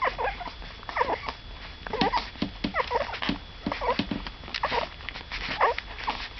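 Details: Newborn cocker spaniel puppies from the second litter of a female named Saga, squeaking and whimpering together indoors, overlapping high thin cries that waver up and down, a few per second, with soft rustling beneath.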